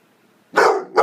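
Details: Thor, a nine-month-old blue fawn Pit Bull barking to get attention, lets out two loud, broad, harsh barks after a quiet moment, the second following closely on the first.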